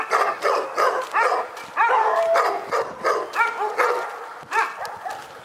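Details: Continuous loud dog barking in Pyrga, rapid harmonic barks roughly every half second, one brief higher whine-like tone in the middle.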